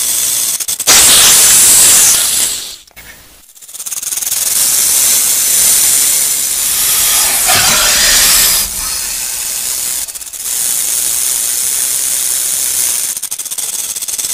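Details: Rattlesnake rattling: a loud, dry, continuous high buzz, broken by short silent gaps near the third and tenth seconds, with a brief swooshing surge in the middle.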